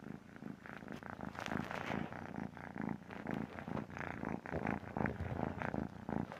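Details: Sleeping domestic cat snoring indoors: low, raspy, rhythmic breaths pulsing steadily about twice per second, with a soft purring texture throughout.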